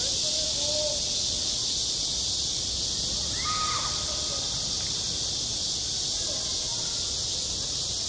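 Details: Cicadas droning at a school playground in the heat of summer: a thick, high, hissing buzz with a faint pulse that holds steady throughout. Quiet distant calls or voices flicker beneath, with one clearer brief sound partway through.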